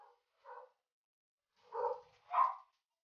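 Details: Golden Retriever at a stud session, Dugal with Lyla, the dam from Quebec; four brief barks in two pairs, the last two louder and closer together, otherwise quiet.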